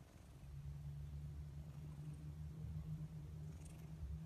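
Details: Domestic cat giving a continuous low purr, an even rumbling buzz held throughout with little else audible.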